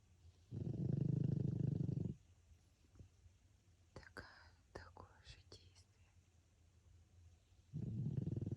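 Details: Snoring of François, a sleeping pug: a loud, low, grating inhale lasting over a second, then gentle whispering, then the next snore starting again about seven seconds later.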